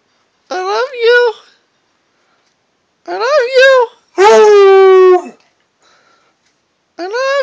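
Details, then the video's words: A Redbone Coonhound howls indoors in short, wavering bouts. Each is tonal and rich in overtones and lasts about a second. A longer, steadier howl comes near the middle, with silent gaps between the bouts. "My red bone hound howling"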